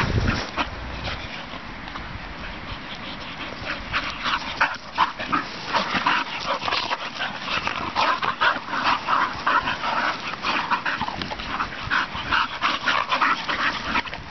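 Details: Two young English Bull Terriers play fighting on a field by a farm: rapid, rough, grumbling bursts tumble over one another, growing busier and louder from the midpoint, with scuffling and panting mixed throughout.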